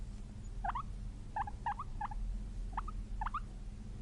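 Guinea pig giving short, chirpy squeaks in quick irregular bursts over a low background hum.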